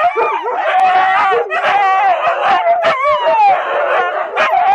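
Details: Watch dogs howling together in the morning, several wavering, overlapping tones rising and falling in a continuous loud chorus, broken by short yips.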